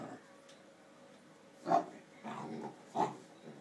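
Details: A Basset Hound playing with a hamster in its run ball, treating it as a toy, gives a few short, low grunting whines, about one burst every second or so.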